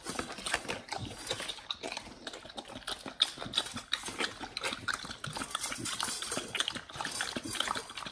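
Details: Close-up ASMR of Pit Bulls on a BARF meal of raw beef trimmed chunk, quail egg and duck wing: sharp crunching bites mixed with slurpy, sticky chewing, uneven in rhythm, with a few louder cracks.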